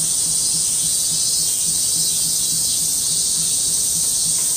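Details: Loud August 2008 cicada chorus of many insects: a relentless high whirring hiss, uniform in level from start to finish, with a faint low pulsing hum beneath.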